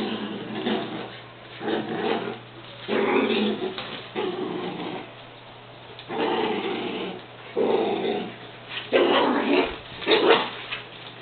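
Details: Two beagles playing tug-of-war with a sock indoors, giving rough, noisy growls in bursts of about a second, with short pauses between, rising and falling in loudness; a steady low hum runs underneath.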